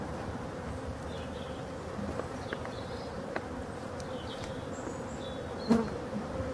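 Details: Honey bees at hive number 6 in Brittany, France, during the last winter feeding on 4 February 2021; a steady low droning hum holds throughout, with a brief knock near the end.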